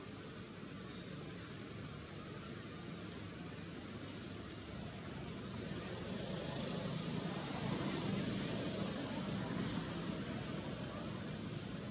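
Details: Constant broad rushing noise, like traffic or surf, slowly growing louder toward the end.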